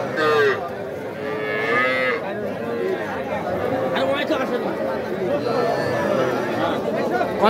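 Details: Cattle, including crossbred heifers, at the Aftabganj market in Nawabganj, Dinajpur, on 5 September: short, bent moos rise and dip repeatedly against crowd noise and men talking prices.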